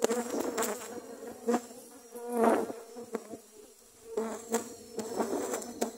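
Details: Dwarf honey bees on the attack after grass was cut in Thailand; a fluctuating, swelling buzz of many bees, with loud passes close by and knocking sounds.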